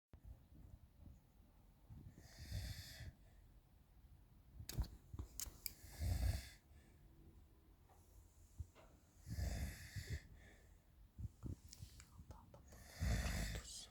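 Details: Alper, a house cat, snoring at about 2 a.m. while kittens romp nearby; breathy, rasping snore breaths arrive every few seconds, unevenly spaced, with small clicks and thumps between them in a quiet room.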